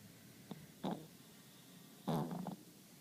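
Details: Sleeping dog Romi snores in a small quiet room; two separate rasping, fluttery breaths, one short and one longer about a second later, each with a low rumbling core, between near-silent pauses.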